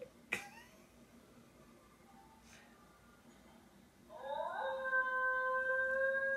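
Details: Basenji dog indoors yodeling at another Basenji on TV: after a sharp click and quiet stretch, a rising wavering tonal yodel starts near four seconds and holds as a steady drawn-out whine, with faint background sounds.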